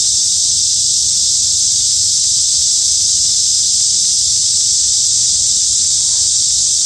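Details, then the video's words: Cicadas in a summer forest at Hanbat Arboretum in Daejeon, South Korea: a dense, steady, high-pitched buzzing hiss that runs unbroken and level throughout, with no pauses or pulses and a faint low rumble beneath. "한여름 숲속 매미소리"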